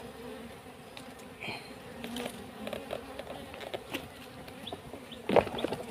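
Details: Buzzing honey bees on a farm plot behind a cassava field during the taking of their comb for beeswax. A continuous droning hum is broken by brief rustles and a sharp knock near the end.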